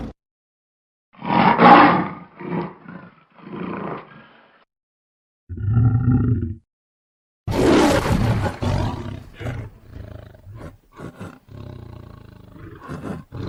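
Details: Roaring lion at a wildlife safari park in Lahore: a series of harsh, grating roars and grunts in separate bursts, including a deep, tonal groan in the middle, followed by a longer loud roar trailing off in choppy grunts.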